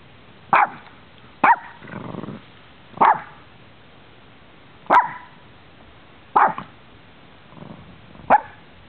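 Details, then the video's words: Dogs at play in Bonita Springs, Florida, in December 2011, mixing wrestling and biting: six short, loud barks at irregular gaps across nine seconds, with soft scuffling and a low growl-like rumble between them. "WHEN DOGS INTERACT - WRESLING BITING LICKING BARKING PLAYING SNIFFING SNEEZING"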